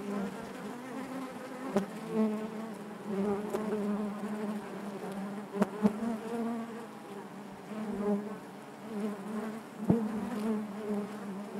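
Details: Hive interior full of honey bees giving a thick, even buzzing hum, low and layered, broken by several quick clicks and faint ticking.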